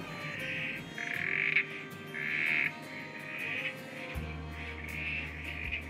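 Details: During peak breeding season at Melbourne Zoo, male Southern Corroboree Frogs give short, grating squelch calls about once a second in an overlapping chorus while females pair up with them to lay eggs.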